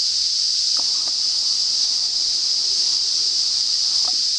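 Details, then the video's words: Cicadas singing in north-east Australia as summer approaches: a steady, unbroken high hiss-like drone holding one even pitch throughout, with a few faint clicks beneath. "Signs of Summer - Cicada Song"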